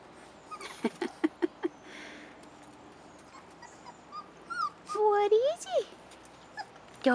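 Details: Rottweiler puppies, 4.5 weeks old, outside for the first time: scattered short yips, then a louder cluster of rising and falling whimpers near the end, with a woman talking to them in an encouraging voice.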